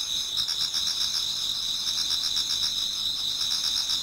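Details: Many insects in a Japanese garden singing toward dawn in autumn: a bright, continuous high trill with fast regular pulses, several chirps per second overlapping.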